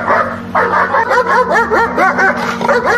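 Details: Dog during military-style working dog training, with handling through bite sleeves. A fast, continuous run of high, strained yelps and barks, each rising then falling, repeated several times a second over a steady low hum.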